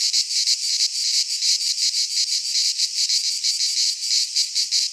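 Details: Cicadas of Greek fauna singing in a pine forest at midsummer: a piercing electric rasp broken into fast, evenly spaced throbs, about three per second, with no other voices.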